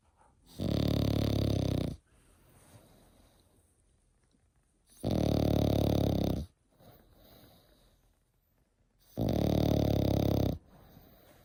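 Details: French Bulldog aged eight months snoring steadily: three harsh, buzzing inhalation snores about four seconds apart, each over a second long, with quiet snuffling between.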